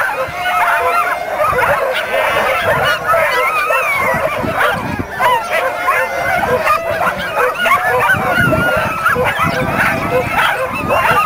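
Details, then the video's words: Many dogs at the dog races of the Caribou Carnival 2007 in a dense, unbroken chorus of excited yips, whines and barks overlapping throughout, with crowd murmur beneath. "Dog Races, Caribou Carnival 2007"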